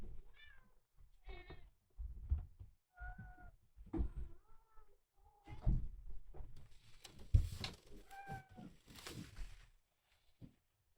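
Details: Miel, a red tabby and white male kitten rescued at one day old, now 27 days in care, gives a run of short, high mews roughly every second, with thuds and a stretch of rustling noise indoors.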